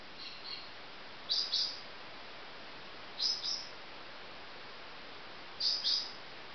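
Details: Marmoset babies calling: a faint short chirp first, then three bursts of high, sharp double chirps spaced about two seconds apart, with quiet hiss in between.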